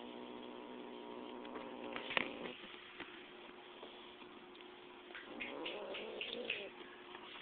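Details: Smidge, a domestic cat playing with a live mouse and described as angry, gives low, drawn-out harmonic growls near the start, then scattered brief higher cries and rustling toward the end, over a steady background hiss.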